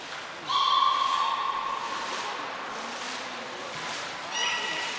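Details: Beluga at Port of Nagoya Public Aquarium during a training session with all animals taking part, 16 March 2024. A steady, buzzy, harmonic tone holds level for about two seconds, then fades. A brief higher note follows near the end over a hissing background.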